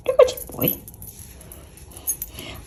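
A Bengal cat gives a few brief, whiny chirping calls separated by short pauses.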